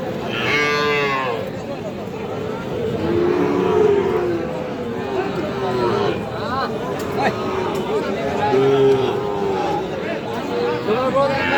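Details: Sahiwal bull calves at Aftabganj cattle market, Bangladesh, August 2025: several long harmonic moos rise and fall amid crowd chatter and people bargaining over prices.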